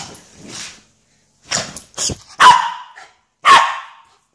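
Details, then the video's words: Pip, a pet Miniature Schnauzer going mad, gives a few sharp barks and yips with short gaps between them, quiet between bursts. "Crazy Mini Schnauzer"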